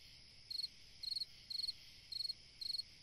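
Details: A cricket singing on a summer night: bright, high chirps of about four rapid pulses each, repeated roughly every half second, five chirps in a row over a soft steady background hiss.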